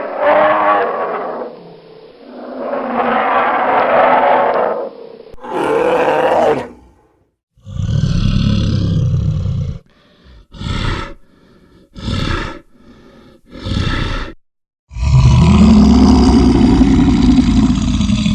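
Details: A big male brown bear making himself known gives deep, rasping roars, broken by shorter grunting bursts and a final long growl.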